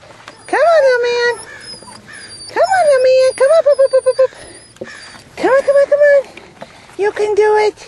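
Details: Belgian Malinois puppies, 7.5 weeks old, playing on a rubble pile of varied footing and obstacles, give high whining yelps that rise then hold steady, in three long bursts with short yips between, while a woman coaxes and praises them.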